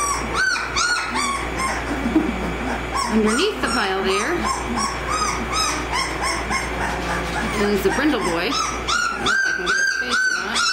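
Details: Several 18-day-old American Mastiff pups, the Kimi x Viho litter at Sycamore Creek Ranch, crying together in rising-and-falling whimpers and short squeals, some long wavering wails, calls piling over each other against a faint constant hum.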